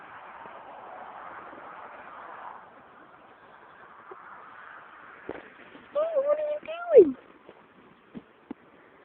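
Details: Midnight, a little black male cat, gives a single drawn-out meow lasting about a second, level at first and then sliding down, after a stretch of quiet background hum with faint knocks.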